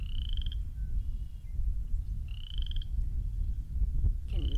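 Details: In early spring beside cattail ponds in a park, a Western chorus frog gives short, rising, rattling trills about half a second long, every two seconds, over low wind rumble and a faint whistle.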